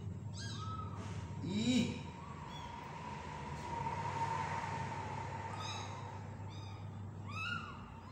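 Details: Tiny kitten during hand-feeding, giving faint, thin, high mews spaced irregularly, a few single calls then a quick cluster near the end, over a steady low electrical hum and quiet indoor background.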